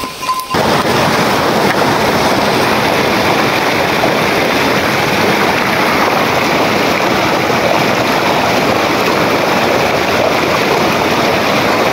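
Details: Loud, continuous roar of wind buffeting the microphone after a brief quieter start, with no animal calls audible.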